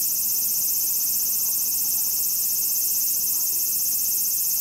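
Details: Large brown cicada giving its last autumn song, still calling with full effort: continuous shrill sizzling buzz at constant loudness from start to finish, with nothing else clearly audible.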